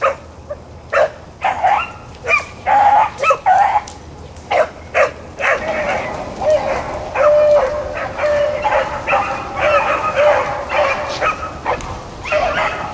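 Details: Pack of rabbit hounds, Blackcreeks and Blueticks, recorded April 4, 2013 while running game. Clustered yelping bays build into a dense, overlapping chorus of sustained ringing mouths in the second half.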